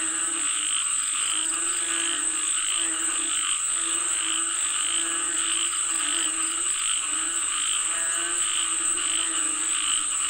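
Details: A crowd of frogs calling for rain, their low, rattling croaks pulsing in irregular surges that barely pause, while a persistent high hiss hums beneath the whole chorus.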